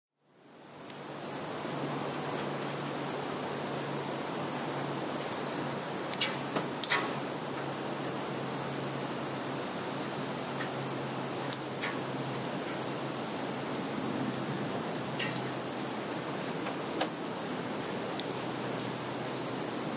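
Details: Field insects in Russia's Kaluga region, Zhukovsky district, recorded 11 September 2019, keep up a continuous, shrill trilling in several high, unbroken tones over a faint open-country hiss, broken only by a few small clicks.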